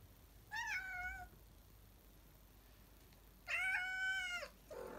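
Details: Two meows, the first short and the second longer and slightly rising, from a cat of the pair Salem and Sabrina stirring after their afternoon nap, with a quiet background.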